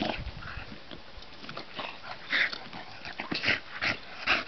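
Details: Bulldog playing outdoors in the sun, giving short high whiny yips and squeaks in irregular bursts, with scuffling and rustling between them.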